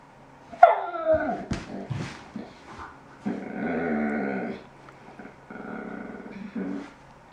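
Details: Five-month-old Alaskan Malamute puppy indoors, complaining and whimpering: a high sliding whine drops into throaty moans, then longer wavering howl-like 'talking' phrases with rich harmonics, rising and falling over several seconds.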